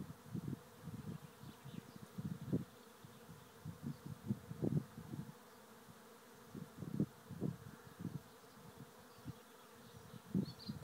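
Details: Thousands of honey bees swarming into a trap hive in Rathcabbin, County Tipperary, Ireland; deep buzzing hum pulsing in short irregular surges, dense and continuous, with the swarm's drone swelling every second or so.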